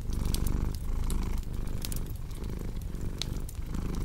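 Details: Domestic cat purring in a strong, low vibrating drone, each breath cycle lasting under a second, while a fireplace pops and crackles brightly in the background.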